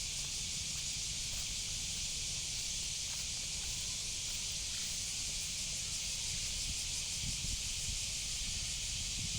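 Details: Steady high-pitched shrill hiss of a cicada (semi) running without a break throughout, over a faint low rumble of background noise.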